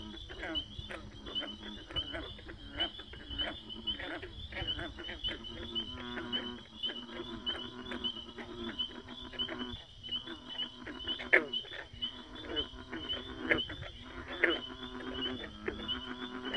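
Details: Many frogs calling together: a continuous din of throaty, droning croaks and fast rattling pulses, with thin high chirps recurring throughout and a few louder clicks standing out.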